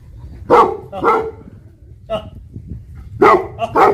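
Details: Livestock guardian dog of the Tibetan Mastiff breed in Nepal letting out a few rough, booming barks in pairs, with a quieter gap in the middle and low background rumble.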